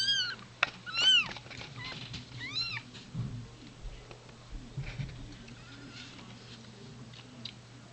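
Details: Domestic cat indoors as a queen gives birth, a newborn kitten still in its sac; three high, thin, arching mews sound within the first three seconds, then quiet with a steady low hum and soft rustling.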